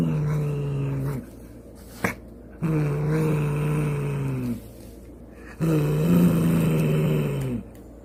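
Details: A domestic cat growls low, slow and steady in three drawn-out bouts with its mouth slightly open, an aggressive warning not to touch it, given when defending itself or just before a fight.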